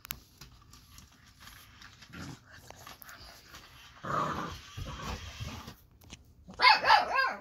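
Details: Baron, an eight-week-old Boxer puppy, reacting to the lights, sounds and movement of the Ollie interactive robot toy: a low rough growl around the middle, then a short burst of higher, louder yapping barks near the end.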